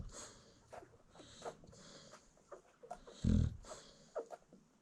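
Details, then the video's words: A nursing American Bully mother asleep with her newborn puppies lets out one strong, low snorting snore, surrounded by faint breathing and small puppy rustles in a quiet room. "Newborn American Bully Puppies Feeding While Mom Snores"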